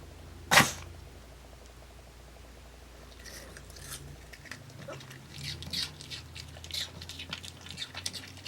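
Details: A dog named Dungi eating an apple indoors: a loud sneeze-like burst at the start, a pause, then steady crunching and chewing of apple pieces in uneven bursts for the last five seconds.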